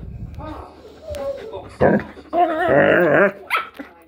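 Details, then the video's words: Two pet dogs, a German Shepherd and a Jack Russell cross Chihuahua, vocalising in their 'talking' dog language: a short whine, then a sustained, wobbling, yodel-like howl of almost a second, with human speech underneath. "furbabys talking furbabys language German shepherd and Jackrussell cross Chihuahua"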